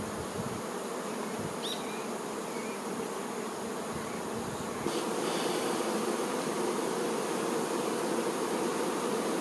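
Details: Worker honey bees attending the queen bee; continuous mass buzzing of the colony, a low humming drone that grows louder and fuller about halfway through, with a brief faint tick early on.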